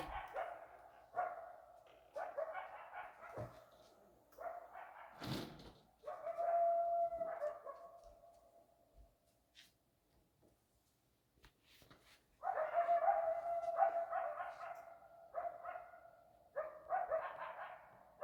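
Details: Coyotes howling in Arizona: bursts of sharp yips and barks alternate with long sustained howls, a steady tone persisting through the middle, a quiet gap, then another loud chorus of yips and wavering howls.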